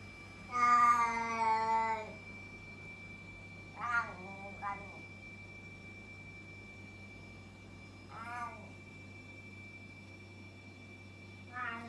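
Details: Loud domestic cat meowing indoors before being fed: one long drawn-out harmonic meow, then shorter wavering meows at about four and eight seconds and a brief one near the end, with a steady electrical hum underneath.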